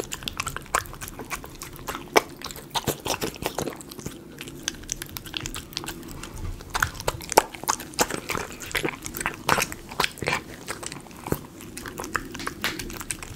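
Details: Miniature Schnauzer eating chicken pot pie premium dog food, recorded close up: a steady run of crisp, irregular crunching and biting clicks, some louder snaps, with quiet wet chewing between them.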